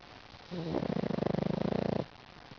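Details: Loud single snore from sleeping pug Lil Mac: a brief low whistle, then a fast, even rattling flutter lasting over a second before fading to quiet.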